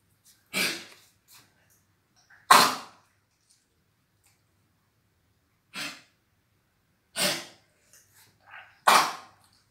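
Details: A dog's choking sounds, blamed on a cold: harsh, breathy bursts like sneezes or snorts, spaced irregularly every one to three seconds.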